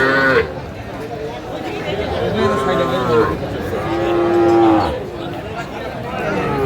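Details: Sahiwal bull calves at a cattle market in Kurigram, Bangladesh, on 16 March 2025, while buyers bargain over two calves; a drawn-out, steady moo rises near the end, over busy crowd chatter and background music.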